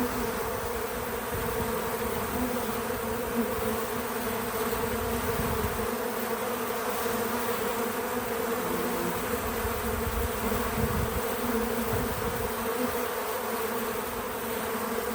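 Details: Bees gather at a feeder outdoors on a small farm, humming in an unbroken, even drone for the whole stretch. The wingbeat tone holds steady, with only gentle rustles and no people or music.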